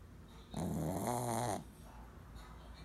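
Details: Female Shih Tzu born December 2009, snoring indoors: one low, drawn-out rattling breath lasting about a second, followed by quiet breathing.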